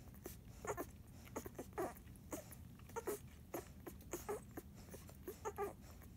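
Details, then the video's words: Airedale Terrier puppies Jazz and Monarch, nine days old, make little grunting squeaks as they feed, some slightly tonal, spaced roughly every half second against a quiet room background. "Eclipse Airedale Puppies, 9 days old. Grunting while feeding"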